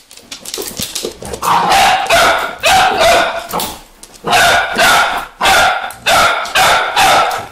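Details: Several Vizsla puppies give sharp, high yelping barks; soft scattered yips at first, then loud, evenly spaced bursts about every half second to second through the rest.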